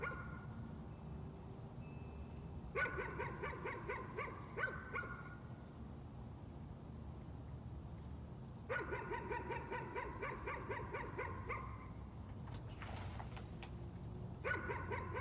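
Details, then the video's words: Nuisance barking from a dog, arriving in three separate bursts of quick, clipped barks, each burst lasting two to three seconds, with quieter stretches of low background hum between them. "Nuisance barking again."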